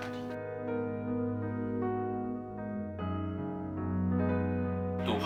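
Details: Gentle keyboard music carries steady sustained chords and a slow melody from start to finish. No animal voice can be picked out.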